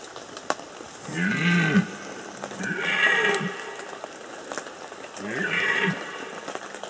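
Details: A red deer stag gives three deep, drawn-out bellowing roars during the 2015 rut in the Bieszczady mountains, Poland.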